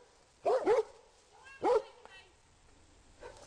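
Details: Rhodesian Ridgebacks in a public park barking to alert their owner to a man hiding among trees: two quick loud barks, a pause, then another bark, with a man calling "go back" just before.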